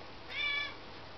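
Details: A domestic cat gives a single short meow, about 0.4 seconds long and harmonic, over a steady background hiss.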